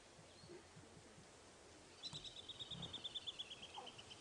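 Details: A squirrel in the African bush gives a rapid, high, pulsing alarm chatter near lionesses on a morning safari drive; it starts abruptly and runs on steadily as the lionesses move into hunting mode.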